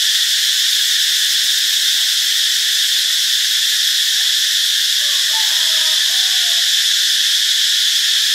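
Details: Cicadas at Ubon Ratchathani, Thailand, on Friday, March 26, produce an even, piercing, sustained buzz. A few faint, brief tonal notes rise briefly from underneath midway through.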